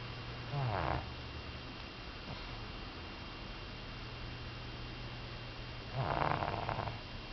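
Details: Female pug, one year three months old, snoring: two rough, raspy snores about five seconds apart, with quiet breathing between and a steady low hum in the background.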